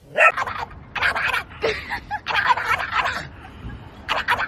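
A dog gives a string of strange vocal sounds: short yips, whines and grumbling bursts, each lasting under a second. The sounds come in uneven pulses with brief pauses between them.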